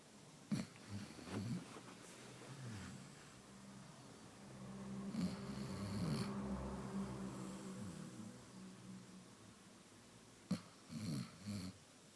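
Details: Amaya, a sleeping Basset Hound, snoring quietly indoors: soft low rumbling breaths with a longer drawn-out snore in the middle and a few sharper snorts near the start and end.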